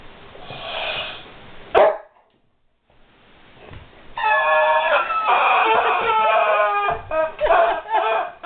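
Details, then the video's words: Guard dog whimpering, puzzled by a squeaky toy: a noisy rustle and a sharp click, a brief quiet gap, then sustained high tonal whines with rich overtones, breaking into shorter wavering pulses toward the end. "Guard Dog Whimpers over Squeaky Toy"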